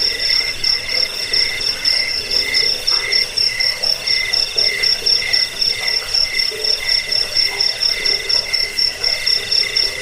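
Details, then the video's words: Cricket calls, known locally as jangkik, intended to chase off rats and to tutor songbirds: rhythmic shrill chirp bursts roughly four each second, very regular over ten seconds, layered with a constant high background trill. "Suara jangkik pengusir tikus pengantar tidur"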